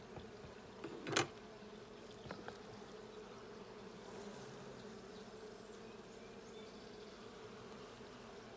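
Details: Bee hive hum from a blue hive being checked on June 20, 2022: a steady, deep buzzing drone, with a loud knock and a scrape early on, then even humming.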